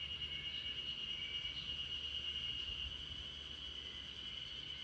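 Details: Spring cicadas in chorus in a backyard where RunRun, a Great Pyrenees, sleeps: a steady, unbroken high buzzing drone with faint short chirps above it and a low rumble underneath.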